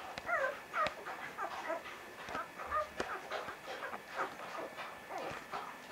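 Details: Young Vizsla puppies of the Batai litter, 10 January 2013, give a burst of bright, wavering whines at the start. Softer overlapping whimpers and grumbles follow from several pups, over a low room background.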